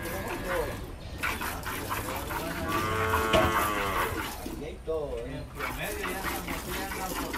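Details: Dairy cows tested for milk yield on a farm in El Salvador; a drawn-out harmonic moo swells in the middle and fades, with a second shorter low call near the end, under steady background chatter and farm noise.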